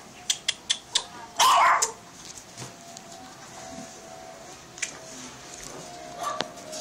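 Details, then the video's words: Shih Tzu named Chiiro giving a quick run of short sharp yips, then one louder, longer yelping bark, followed by quieter scattered clicks and household noise. "shih-tzu chiiro"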